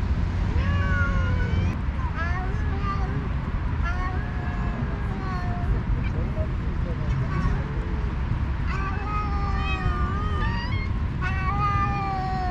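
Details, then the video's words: Two alpha cats, leaders of two stray cat groups on a cat island, fighting by talking while the others eat; repeated drawn-out harmonic meows and wavering yowls back and forth throughout, over a constant low rumble like an engine. "2 alpha cats are fighting by talking"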